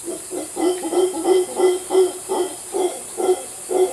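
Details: Rhythmic throaty grunts from mantled howler monkeys in Costa Rica, repeated about twice a second in an even, pumping series of low rasping pulses over steady background hiss.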